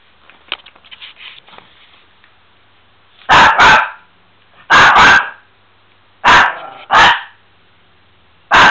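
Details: A Miniature Pinscher named Bubi barks loudly in paired bursts, three pairs of harsh barks roughly every one and a half seconds, with faint clicking before them in a small room.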